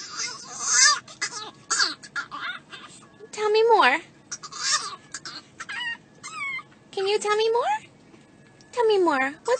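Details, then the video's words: A talkative dog answers in long, swooping howl-like moans that dip and climb in pitch, mixed with short chattery sounds and a person's voice between the louder yowls. "Talkative dogs"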